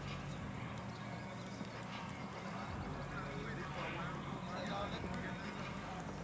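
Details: Standardbred race horses ridden on a race track in Texas, ArkLaTex area; a rapid, uneven clatter of hoofbeats over a dense low rumble and steady broadband noise, with faint voices in the background.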